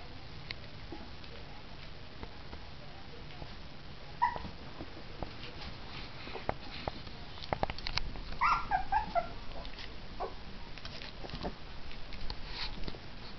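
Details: Two orphaned female puppies about three weeks old at their first meal of puppy mush; scattered wet smacking and clicking of eating, with a few short high whimpering squeals near the middle and a soft noisy background.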